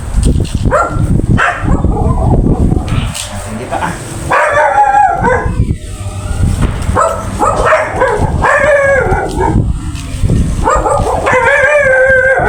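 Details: Golden retriever female during mating with a male named Jago, giving loud wavering harmonic whines and yelps in bursts, several rising then falling, with people talking and background music throughout.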